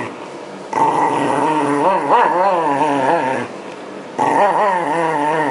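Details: Shiba Inu dog being brushed to shed its winter coat as the season turns toward spring, 2012. Loud, wavering, harmonic grumbling growl-moans rise and fall in pitch, in a long bout of about three seconds, a short pause, then another bout.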